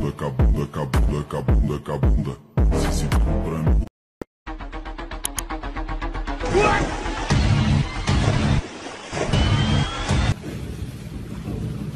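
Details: Electronic music with sharp bangs and a short silent break, with no animal voice.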